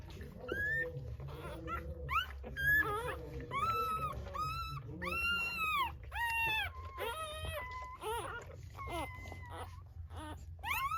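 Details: Just-born Rottweiler puppies squealing almost nonstop in short, arched cries and a few longer level wails, several voices overlapping, above a continuous low hum.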